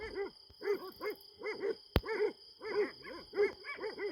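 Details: Farm Kangals at night, holding an animal at bay, perhaps a hedgehog: rapid pairs and triplets of deep, ringing barks with arching tones, one sharp click near the middle, steady hum in the background.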